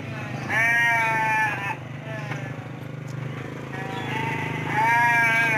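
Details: Two drawn-out, trembling bleats about four seconds apart from sheep at the busy Andir market in Bayongbong, Garut, over a steady low hum and soft background talk.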